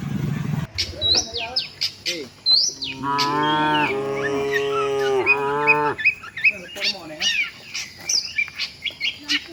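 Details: Tame village cattle walking with their herd toward the shed; one long harmonic moo lasting about three seconds, steady then falling at the end, with many chirping birds around it.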